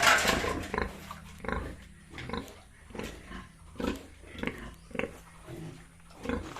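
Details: Yorkshire and Hampshire farm pigs in Bongaigaon, Assam, with a squeal at the start followed by low grunts repeated roughly every half second to second, several animals audible.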